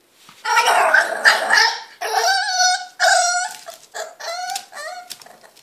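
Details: French Bulldog puppy, three months old, impatient and wanting a hand brush: a run of loud harmonic whines and yelps, some rising then falling, in bursts with short gaps, indoors.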